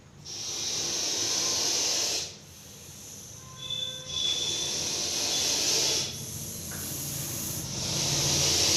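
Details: Repeated forceful hisses come from a deadly venomous Russell's viper caught in Coimbatore: three long breathy bursts, each about two seconds, separated by short quieter gaps.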